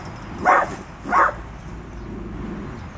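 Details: Small fearless dachshund telling off a full-grown Rottweiler: two sharp barks about half a second apart, then quieter background rumble.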